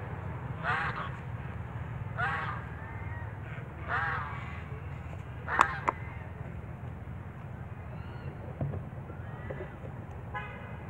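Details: Baby monkey crying loudly: three harsh wailing cries roughly every one and a half seconds, each sliding down in pitch, then softer scattered squeaks and clicks over a constant low rumble.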